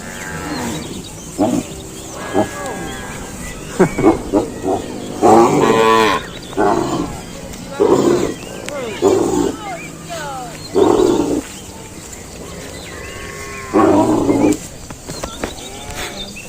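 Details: Cow. Several cows low in short, harmonic bursts, some rising and falling in pitch, with brief pauses between calls. A steady background hiss runs underneath, with faint other noises between the moos.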